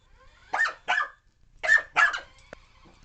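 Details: Alphie, a puppy, barking wildly while chasing a remote control car: four sharp barks in two quick pairs, a pause between the pairs, followed by a light click.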